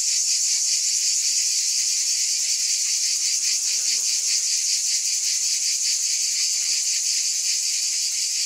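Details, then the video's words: Unbroken high-pitched cicada drone with rapid pulsing; a faint low squeak briefly surfaces beneath the buzz near the middle. "Scintillating Cicadas"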